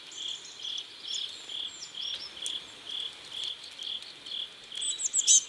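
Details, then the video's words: Riverside crickets at sunset in South Korea give an even run of short high chirps roughly two per second, with faint thin bird notes flicking above and a sharper twitter at the end. "Sunset River and Sound of Crickets"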